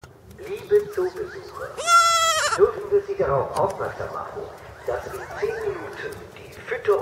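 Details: Friendly baby pygmy goats, born December 2014 to January 2015, bleating as they approach visitors at Walter Zoo, Switzerland, on 26 February 2015; one loud, wavering, richly harmonic bleat near two seconds, over a German public-address announcement and chatter.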